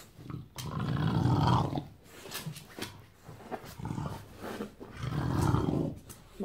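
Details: Bulldog on a Saturday morning giving two long, loud, rough growling roars about four seconds apart, with shorter snorts and huffs between them.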